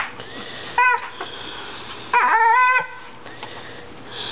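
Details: A female dog whines over a rock found in the yard, which she does whenever she finds one. Two high, nasal whines: a short one, then a longer quavering one. Quiet room tone between them.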